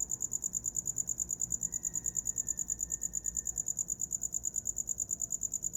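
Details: A cricket's sharp, high chirps repeat in a quick regular beat of about three per second, with a faint thin whine in the background.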